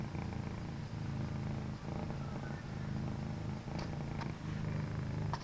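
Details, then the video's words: Pet cats, one all orange and one orange and white, keeping company in a home office late at night; a steady low purr rising and falling with each breath, broken by brief pauses, with a few soft clicks. "(Cat Purrs)"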